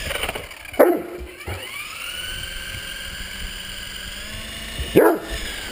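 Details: Great Dane playing with an RC helicopter: two deep, single barks about four seconds apart, over the steady high whine of the toy helicopter's motor.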